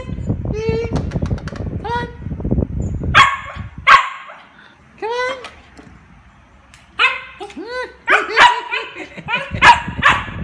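A Siberian Husky gives bursts of harmonic, bending whines and yelping woo-woos, asking to play.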